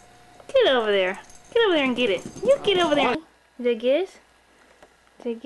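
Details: Young female Pekingese-Chihuahua mix, a pet dog named Gizmo, indoors during play: drawn-out whining bursts that rise and bend in pitch, three long ones back to back, then shorter yelps after a pause.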